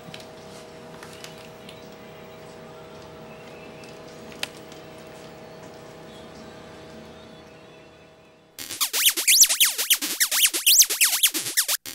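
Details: A low steady indoor hum gives way abruptly to loud, bright music for the last few seconds.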